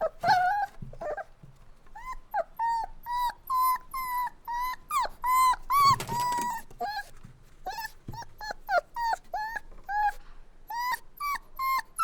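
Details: Puppies crying and whining indoors: a long run of short, high, tonal whimpers with rising-then-falling pitch, repeated roughly twice a second with uneven spacing, plus a brief noisy scuffle near the middle.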